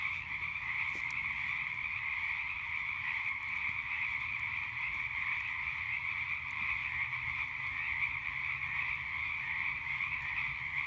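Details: Night frog chorus beside a campfire, a continuous buzzing trill sustained at two steady pitches without pause, with a few scattered sharp pops from the burning fire early on.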